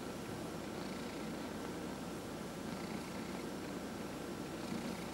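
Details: Domestic cat indoors, purring under a massage, one of four cats: a faint, even, low vibrating rumble with gentle breathy swells and little variation.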